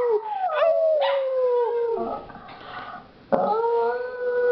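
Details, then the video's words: Several pet dogs howling after two sisters get them started; long tonal howls sliding down in pitch, overlapping voices, a short ragged pause near the middle, then a steady howl swelling upward again. "Dogs Howling"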